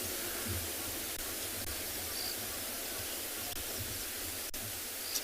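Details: Steady broadband outdoor hiss, like wind or distant rushing water, with no animal calls.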